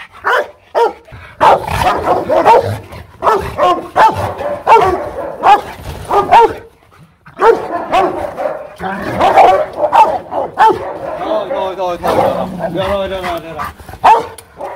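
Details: Aggressive Rottweiler at a kennel in Hoang Mai, Hanoi, Vietnam, barking continuously for about fifteen seconds. Rapid, rough, deep barks run together in dense bursts, broken by one brief pause midway.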